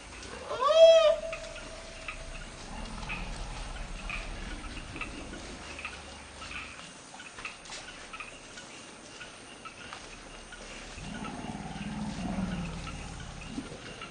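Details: Elephant calf Penny screaming in a forest bai after being shoved and kicked by the female Circe, calling her family over: one loud, shrill, rising scream near the start, later a low rumble, over steady insect hum.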